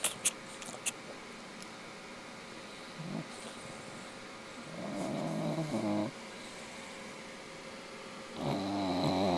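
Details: An English Bulldog named Mister snores in rough, rumbling breaths about a second each while sleeping, a favourite weekend pastime of his; snore.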